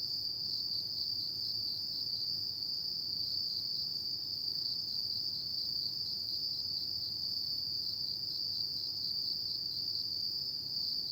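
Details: Insects of an autumn night keep up an unbroken shrill trill at one high pitch, a dense ringing chorus with quieter higher tones and soft low rumble beneath.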